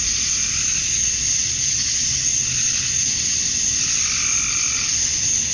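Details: Summer-night cicada chorus at dusk in Georgia, USA, where males chirp to draw females: a steady, loud, sizzling high drone with faint wavering lower tones drifting underneath.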